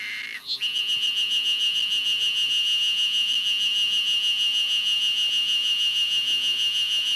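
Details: Ezo spring cicadas chorus in early spring in Hokkaido, a steady high-pitched buzzing drone with a fast throbbing pulse.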